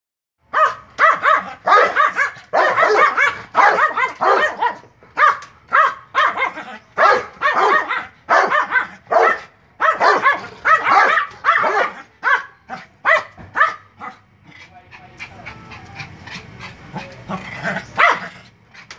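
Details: A dog barks at a Doberman in rapid, sharp bursts, roughly once a second, loud and insistent.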